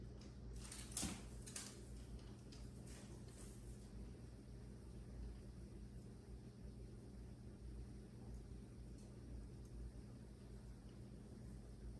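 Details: Quiet indoor room hum with a few soft knocks and clatters in the first four seconds, then only low steady background.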